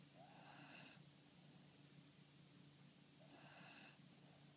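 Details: An older beagle snoring softly: two raspy, breathy snores, each lasting under a second and about three seconds apart, with a faint steady low hum in the background between them.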